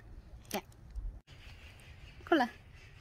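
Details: Pomeranian dog out on a walk on a cloudy day, giving a short, thin vocal burst early on, then a louder, clearly tonal whine that rises and falls over a low outdoor rumble.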